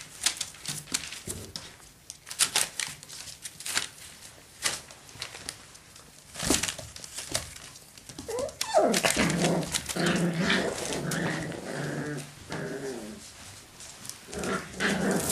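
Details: Seven-week-old Parson Russell Terrier puppies indoors: after scattered tapping and crinkling, a run of rough, harmonic yelps and barking growls rises in the middle and fades, with clicks and rustling before and after.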